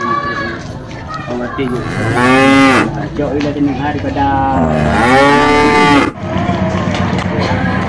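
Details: Cattle being bought as qurban sacrificial animals in 2025: two long, loud moos with rich harmonics, the first rising then falling, the second steadier and drawn out, separated by a short pause, with lower grunting murmurs around them.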